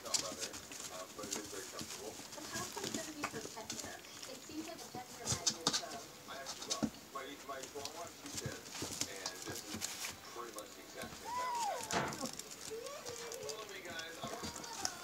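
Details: Newborn Siberian husky puppies, a litter born March 25, 2017 to the mother Liv, squeak and whine with short, thin, rising and wavering cries, overlapping one another, over rustling and clicking handling noise.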